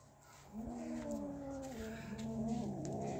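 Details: Two cats, Kaallu and Motu, after catching a big mouse: low drawn-out harmonic yowls that waver and overlap, starting after half a second and continuing steadily, with faint clicks in the background.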